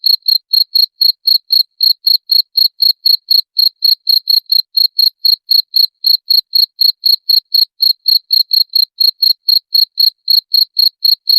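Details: Cricket sound intended to repel rats: clean, high, pulsed chirps repeated steadily about four times a second across the whole stretch, with a faint upper overtone and no other sounds.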